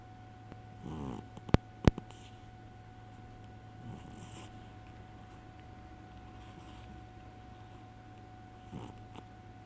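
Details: Fat pet cat snoring loudly while fast asleep indoors: rasping, snorting bursts near the start, middle and end, with two sharp clicks early on and a steady electrical hum throughout.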